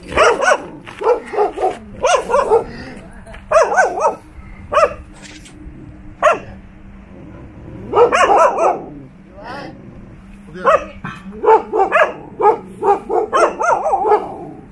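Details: A one-year-old male Cane Corso, leaving home for a walk, barks aggressively at a loose Jindo dog from the house behind, in rapid bursts of loud, harsh barks.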